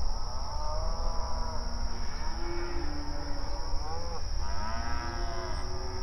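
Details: Several open range cattle grazing on pasture call to one another, giving a run of overlapping low, drawn-out moos, some bending upward, over constant low rumble and a steady high whine.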